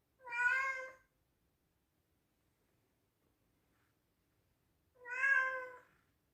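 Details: Loud meows from a pet male Scottish Straight cat indoors: two clear, evenly pitched harmonic meows nearly five seconds apart, each lasting under a second, with silence between.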